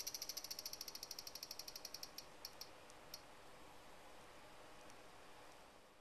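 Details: Cicada clinging to a window screen, singing up close: a fast run of dry, high-pitched ticking pulses, about seven a second, slowing and breaking off after two seconds into scattered clicks over a faint steady background hiss.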